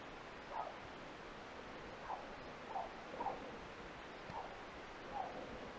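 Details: Beagle Langedals Dina "Nikki" on a 2016 roe deer hunt, holding a doe and kid at bay; distant, hollow barks repeat roughly every half second to one second over steady rushing background noise.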